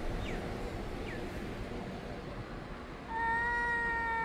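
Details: Early-morning cats yowling at each other in summer: after three seconds of hissing background noise, one steady, clear drawn-out wail begins and holds to the end.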